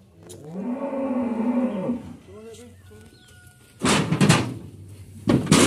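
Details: Sacrificial qurban cattle being loaded at a farmer's pen for transport to Jakarta. One drawn-out, harmonic moo lasts about a second and a half. Heavy thumps and clattering bursts follow, with faint voices in the background.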